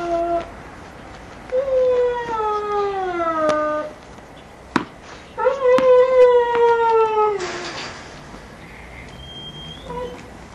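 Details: Giant Schnauzer puppies at Kennel Vestigia Ares, 15 October 2009, whimper in long descending tones, with a short yelp at the start. Sharp knocks and a brief rustle break the gaps between whines.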